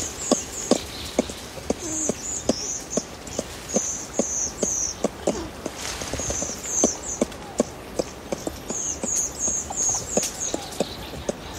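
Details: Adult ring-tailed lemurs feeding in trees at Berenty Reserve give close contact clucking calls: short, low, dry clucks repeated irregularly several times a second, with high chirping bird or insect trills in the background.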